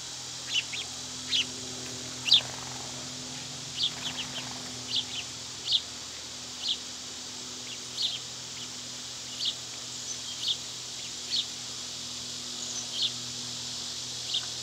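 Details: Summer cicadas droning in a steady, unbroken high buzz, with short sharp bird chirps scattered over it every second or so.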